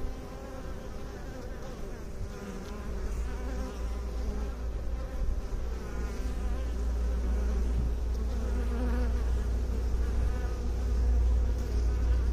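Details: Honey bee hum from a beekeeping setting: a deep, continuous buzzing drone that grows gradually louder over the clip, with shimmering overtones above the low hum.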